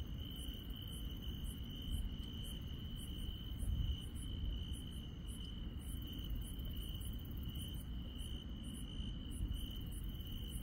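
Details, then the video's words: Grass insects on a countryside night: a steady, unbroken high trill runs throughout, with short, very high chirps repeated in quick irregular bursts above it, over a constant low rumble. "시골 밤의 정겨운 풀벌레 소리"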